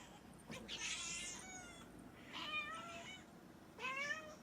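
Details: A pet cat meowing indoors: three rising-falling, harmonic-rich meows spaced about a second apart, the first loudest and drawn out, with faint background hiss.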